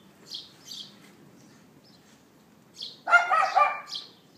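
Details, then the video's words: Neighbour's dog outside, iPhone 4S recording from April 18, 2012: a single burst of quick harsh yaps near the end, preceded by faint bird chirps and low background hum. "Dog Yapping"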